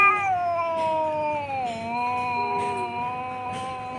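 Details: Two cats squaring off on a tin roof at midday, filmed by phone: a continuous harmonic yowl that bends downward, steadies, and wavers, with a second lower moaning voice overlapping beneath it, loud throughout.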